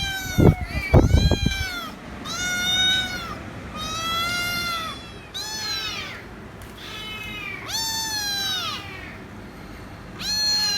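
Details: A noisy kitten meowing loudly and insistently, demanding head rubs; long harmonic meows with arched pitch, about one every 1.5 seconds, after a few loud thumps at the start.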